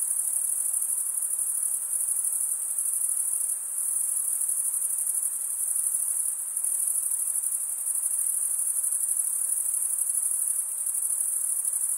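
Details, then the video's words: A sustained high shrill of crickets stridulating with their wings, the comb-toothed vein rasped by the opposite wing, holds steady with small periodic dips in loudness every couple of seconds. "Most relaxing cricket sound"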